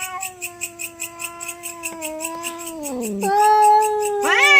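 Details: Domestic cats fighting over territory late at night, a long sustained yowl with stacked harmonics wavering, then dropping sharply and rising again into a louder wail near the end; a fast regular clicking ticks underneath throughout.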